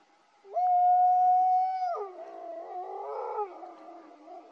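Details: Italian wolf near a pup met by chance at 11:30 on a park trail, heard calling from behind the observer: one steady, clear howl-like note held over a second, then rougher, harsher barking sounds.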